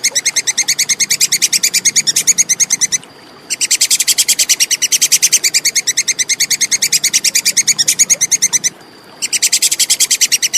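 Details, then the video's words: Plantain squirrel, a clear recording made as a training tape for songbirds: rapid, sharp, dry clicking notes repeated several times a second in long even bursts, broken by two brief pauses, with a faint low hum beneath. "SUARA TUPAI KEKES JERNIH"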